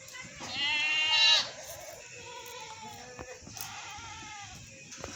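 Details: Goats bleating: one loud, wavering, nasal bleat lasting about a second, followed by fainter, lower bleats and scattered clicks and knocks in the background.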